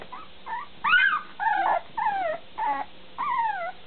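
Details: Bulldog puppies whining in separate short tonal cries, each a bent, falling or arching whimper, about six calls over a few seconds with quiet gaps between them.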